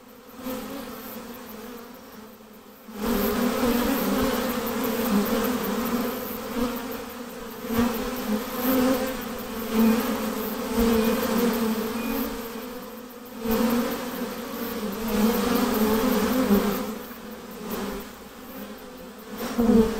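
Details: Swarm of honey bees during hiving, droning buzz rising sharply at three seconds, pulsing in intensity, easing briefly near thirteen seconds before building again.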